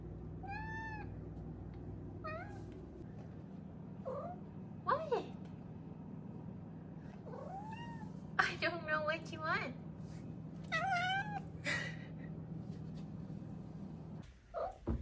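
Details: Female Maine Coon kitten, four months old, making a run of cute little trills and chirps indoors: short rolling trills, upswept chirps and a few louder meow-like calls spread over fifteen seconds, with steady low household hum throughout.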